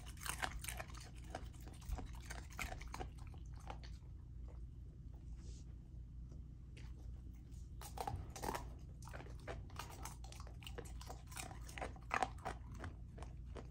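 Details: Golden retriever puppy Lilo smashing through raw chicken drumstick, thigh and sockeye salmon; rapid crunching bites, a quiet pause of about three seconds, then renewed loud gnawing and cracking crunches, over a low hum.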